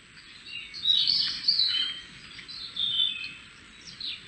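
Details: Beech marten kits, three young of a female denning in the roof of a cabin in the woods, giving high, thin squealing chirps in short bursts of about half a second, with quieter gaps between and a faint steady hiss behind.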